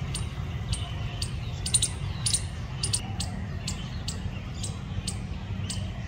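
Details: Squirrel making short, sharp clicking chirps in an uneven series, roughly two per second with a quick double burst near the start, over a steady low rumble.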